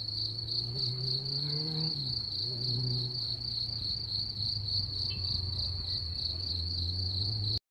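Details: Chorus of singing crickets gives a constant shrill, even-pitched trill, while a low droning hum with a brief rising whine near two seconds runs underneath, and the sound stops abruptly at the end.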